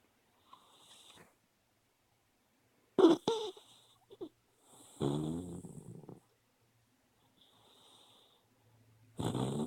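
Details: Sleeping dog, dreaming with eyes open, makes a sudden sharp snort, then a longer rasping, buzzy snore, with soft breaths between and another loud snort at the end.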